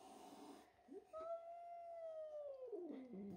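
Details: Indoor cat George voicing displeasure at a newly arrived young kitten called Milo who took his tuna; one steady, slightly arching moan lasting about two seconds that drops into a low grumble, faint hum behind.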